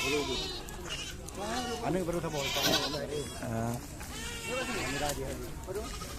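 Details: Goats kept for sale at Blangjrun, Aceh Utara, on wide open land; repeated quavering bleats overlap one another, with human voices mixed in throughout.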